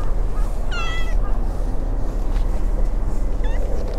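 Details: Brown tabby kitten abandoned in a pond-side park, now used to people and trying to climb onto laps and shoulders; one clear plaintive meow early, a fainter short mew near the end, constant low background rumble.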